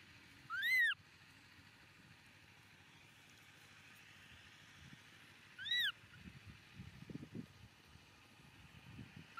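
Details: Baby monkey Momo crying loudly on rocks as its father leaves: two sharp, arched, whistle-like cries, rising then falling, about five seconds apart, over a quiet outdoor background with faint low rumbling.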